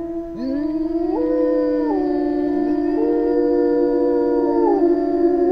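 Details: Gray wolf (Canis lupus), a pack of several wolves howling together in jungle, long sustained overlapping tones sliding up and down in pitch.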